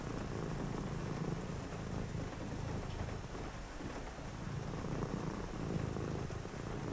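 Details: On a rainy night a cat keeps up a soft rumbling purr, a low pulsing drone with a short lull midway, set against constant rain.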